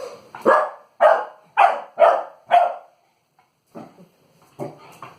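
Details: Three-month-old American Pit Bull Terrier puppy barking while playing with an inflated balloon: five sharp, loud barks about half a second apart, a pause, then several softer, quicker yaps.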